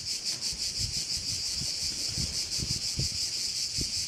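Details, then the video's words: Crickets at a bay on Korčula, Croatia: a dense, high shimmering buzz pulsing roughly three times a second, steady throughout, with soft low thumps of wind beneath. "Korčula - view of one of the bays in Korcula with sounds of crickets"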